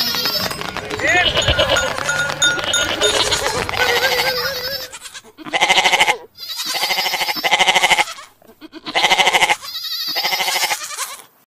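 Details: Sheep. Music and talking fill the opening seconds, then sheep take over. Their bleats are loud, wavering and nasal, coming in bursts about a second long, one after another.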